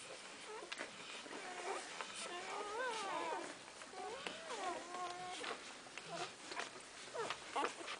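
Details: Golden Retriever puppies in their first week of life, drinking indoors; several wavering, whiny squeals rise and fall in overlapping bursts, with soft suckling clicks and rustling between them.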